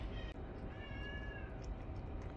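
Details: Pet cat in a home with several young and old cats, giving a soft, thin, slightly falling meow under a steady background hum while someone calls to the cats and urges them to eat.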